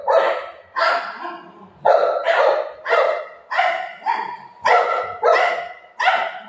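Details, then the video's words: Golden retriever dog barking in play with its owner; steady, rough barks repeated about twice a second, roughly ten in a row, fairly even in loudness. "cute golden retriever dog playing with mom"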